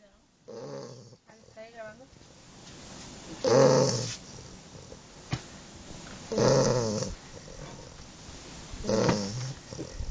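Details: English Bulldog snoring: rough, throaty breaths with low buzzy tones, swelling in loud bursts roughly every two and a half to three seconds, quieter rasping between them.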